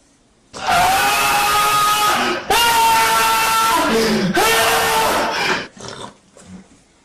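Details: Cat screaming in a voice likened to a man's: long, loud, wavering wails with a short break between them, each held for about two seconds, then fading to quiet indoors.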